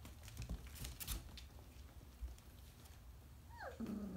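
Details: Briard puppies at 4.5 weeks old, indoors: after scuffling and clicking movement noises, one pup gives a tonal whine that slides steeply downward, then settles into a short low steady whimper.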